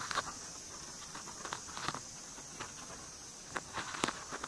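A white-spotted longhorn beetle makes dry, scratchy clicks in irregular bursts while mating.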